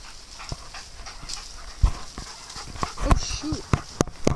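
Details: Dogs at play on a farm: scattered short yips and sharp thuds over a low rumble, with two brief tonal whines or yelps near the end amid bursts of scuffling noise.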